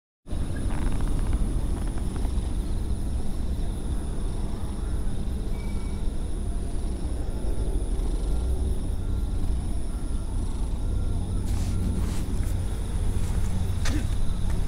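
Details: Stray cat purring close up, a steady low rumbling drone that runs unbroken through the whole stretch, with faint clicks and scuffs near the end.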